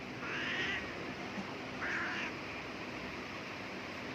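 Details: A house cat meows twice as a person sneezes nearby. The two short, mid-pitched calls come about one and a half seconds apart over a quiet indoor background.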